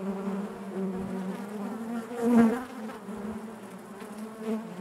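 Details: Honey bees buzzing inside their hive: a dense, steady drone with a strong low hum and stacked overtones, swelling briefly louder near the middle of the stretch before settling back.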